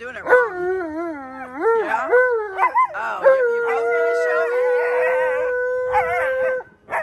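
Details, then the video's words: Tonka, a pet Alaskan Malamute, answers an owner's howling lesson with wavering, yodel-like rising and falling woo-woo calls that settle into one long, steady, mid-pitched howl. Brief human voice sounds come between the calls. "Malamute Refuses To Look At Me After My Howling Lesson!"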